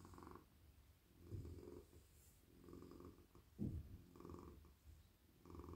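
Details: Domestic cat, a very friendly, soft male, purring while petted on a lap, his head, neck and body stroked; low rumbling purr swelling and fading in breaths about every one to two seconds, with a brief louder rustle midway.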